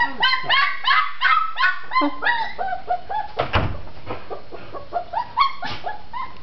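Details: Red tri-colored Australian Shepherd puppy, female, barking to be let out of her enclosure: rapid series of shrill yapping barks, loud at first and trailing off, with a brief thump midway and a final yap near the end.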